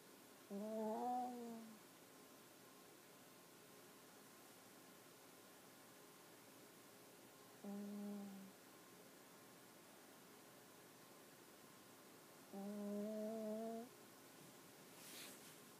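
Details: Puppy asleep with its head on a person's leg, snoring in soft, hummed, nasal tones, each lasting one to one and a half seconds, three breaths several seconds apart, with a faint rustle at the end.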